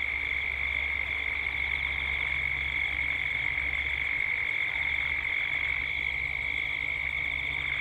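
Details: Gippsland, Australia, at dusk: cicadas give a continuous high, shrill, pulsating drone in a 3D ambience recording, over a low steady hum.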